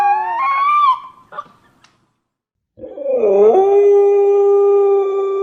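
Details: Siberian Husky puppy howling: a wavering tonal howl of about a second, then a short yelp, a silent pause, and a second howl that dips, rises, and holds steady and clear to the end, with no other sounds.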